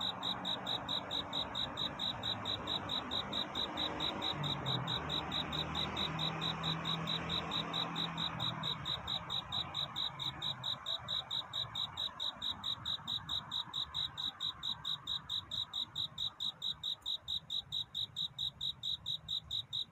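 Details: Night-time courtship chirping of a cricket looking for love, bright high pulses repeated evenly about twice a second throughout, with a faint low rumble and soft hiss beneath.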